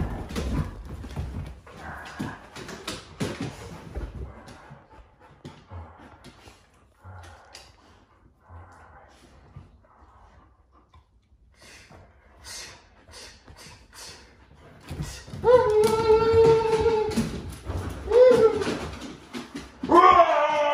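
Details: Pet huskies reacting indoors to a scary movie costume prank: quiet shuffling and faint noises, then loud, drawn-out, strongly harmonic howling whines that rise and waver, several overlapping in the final seconds.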